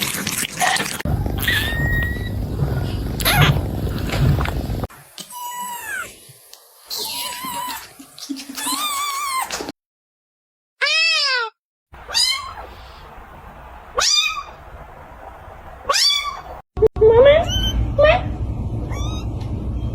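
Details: Kittens meowing in a series of short cuts: high, bright mews with arching and rising pitch, some drawn out, others quick, separated by brief silences and scene changes with low background rumble in places.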